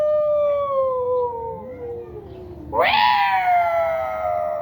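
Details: Domestic cats in a fierce fight in a Bangladeshi village home: a long, drawn-out harmonic yowl slides slowly downward, then a sudden loud wail leaps up and tapers off in a strained, wavering howl.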